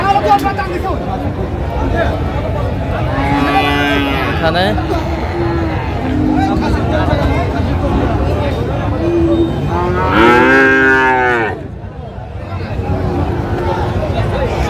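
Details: Friesian and cross-breed bull calves at Raniganj cattle market in Dinajpur, Bangladesh, on 24/4/25, with buying and selling underway. Two drawn-out, harmonic-rich moos around three and ten seconds rise above constant crowd chatter and bargaining voices.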